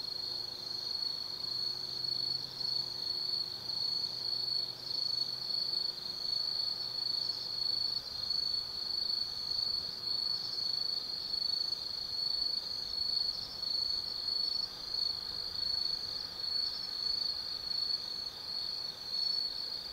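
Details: Autumn night insect chorus in the Tsukimi forest, Kaizu, Gifu Prefecture, Japan: dominant steady high trill with gentle pulsing, faint extra chirps, and a soft low tone in the first seconds beneath the ringing.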